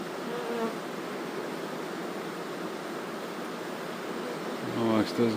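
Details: Honey bee swarm being moved into new housing, many bees already settled inside: a dense, continuous droning hum, with a man's voice breaking in at the very end.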